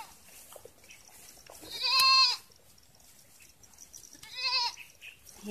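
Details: Farm goats being watered; two loud, wavering, nasal bleats, each about half a second long and roughly two seconds apart, over a quiet background of faint clicks and shuffling.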